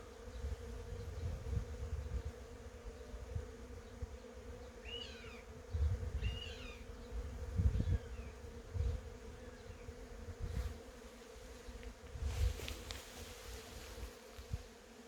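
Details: Honey bees among cherry blossoms: a steady, even droning hum holds throughout, with gusty low rumbles of wind and a few quick chirping bird notes around the middle.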